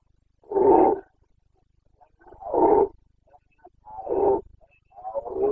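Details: Carpathian red deer stag roaring during the Bucovina rut, 2022 breeding season: deep, hoarse bellows repeated about every one and a half seconds, with another roar starting as the recording ends.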